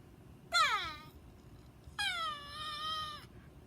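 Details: Chihuahua, a pet dog said not to know how to bark, giving two drawn-out, tonal whining cries indoors: the first short and falling in pitch, the second longer and held nearly level before fading; quiet room between.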